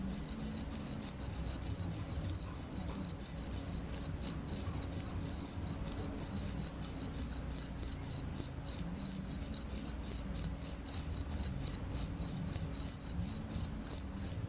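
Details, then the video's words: A cricket calls continuously, its shrill pulsed chirps repeating fast and evenly, about three bursts each second, with only a soft indoor hum beneath. "cricket sound"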